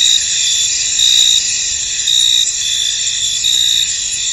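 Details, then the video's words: Crickets in a misty, foggy field: a dense, continuous high-pitched chorus, with brighter trilled bursts standing out roughly every second and a half above the steady shimmer. "Tranquil Cricket Sounds In An Misty Field"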